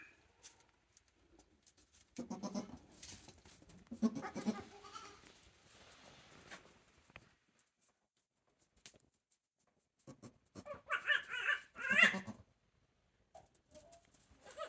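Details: One-day-old goat kids at Yoshigake goat farm, a handmade farm, recorded 17 April 2024: two bursts of bleating, a wavering run of harmonic cries early on, then louder, higher bleats after a quiet stretch.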